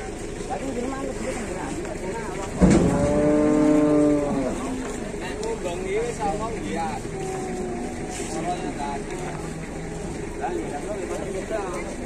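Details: Large cattle being unloaded in Indonesia: one strong, drawn-out moo of about a second and a half with a bright harmonic stack, surrounded by vehicle-like rumble, faint speech and fainter animal calls.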